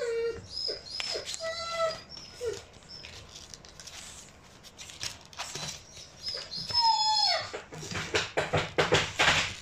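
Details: Black female pug puppy born 5 June 2019, whimpering indoors: thin, high whines, some held steady and some sliding downward, repeated in short bursts amid rustling and handling noises.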